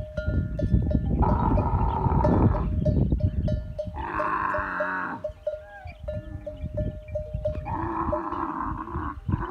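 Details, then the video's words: Camels calling in masti, the rutting season, with three separate roaring bellows over a continuous low gurgling throb, and a steady, repeated tinkling tone running underneath. "The camel masti season has started | لقد بدأ موسم ماستي الهجن | موسم حب الجمل | Camel sounds"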